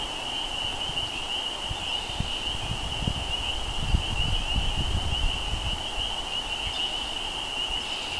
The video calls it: Frog Noise At Spring Time.